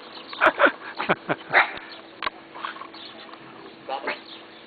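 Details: {'_': "Neighbour's friendly dogs reacting to a familiar person, giving a few quick sharp barks and yips early on, then fainter irregular barks and whines trailing off."}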